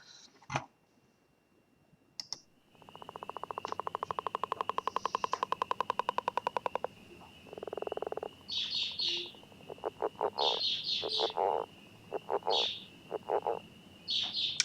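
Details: A northern leopard frog in Northern Illinois gives a fairly quiet call, a fast rattling run of clicks followed by a low, grunting chuckle, with spring peepers perhaps faint in the background.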